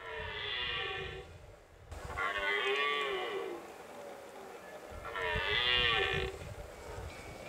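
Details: Pyrenean red deer in the breeding season at the end of September, in mountain summer grazing land. Three drawn-out, raspy, harmonic roars about two seconds apart, each swelling and then fading, with faint rumbling noise between them.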